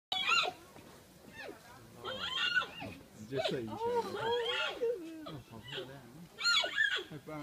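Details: Three infant giant pandas at the Chengdu Panda centre squeal excitedly while being fed biscuits; high, wavering squeals and bleating cries rise and fall in overlapping bursts, with voices of people nearby.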